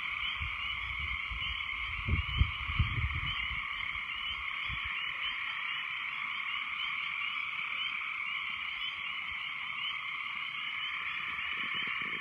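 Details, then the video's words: Frogs after heavy rains form a loud, continuous massed chorus of overlapping croaks in two high bands; a few low thumps or rumbles near the start, then the chorus carries on evenly. "What Do Frogs Sound Like"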